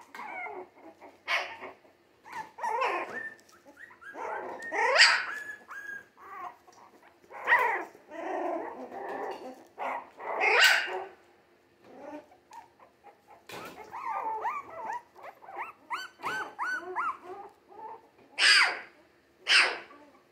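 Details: A litter of three-week-old Jack Russell Terrier mix puppies, born 17 December 2020 and already on the move, keeps up a noisy chorus of squealing yelps, gruff little growls and tonal whimpers over twenty seconds.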